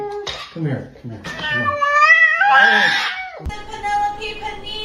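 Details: A pet cat gives one long, wavering, drawn-out meow lasting about two seconds, rich in overtones. A person speaks to the cat before it, and a short clatter follows the call.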